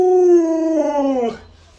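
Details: A pet Alaskan Malamute named Luoluo makes a short 'woo' howl of just over a second, smoothly falling in pitch and fading out into quiet.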